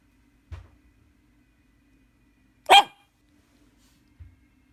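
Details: Shih Tzu puppy asking for a walk: one sharp, bright bark in a quiet indoor room, with soft low knocks a couple of seconds before and after.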